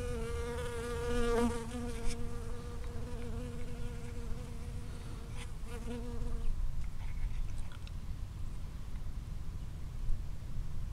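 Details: A single bee foraging from flower to flower in a strawberry field, recorded from 5 cm or closer: a steady droning buzz with stacked harmonics for about six seconds, then fading out, leaving low wind rumble.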